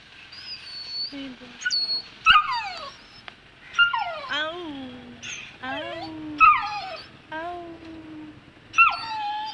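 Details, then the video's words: Saint Bernard puppy, two months old, hesitating at the top of the stairs and whining in a string of high, wavering cries that fall in pitch, roughly every few seconds, while someone talks encouragingly nearby. "Saint Bernard 2 months Afraid to Go down Stairs"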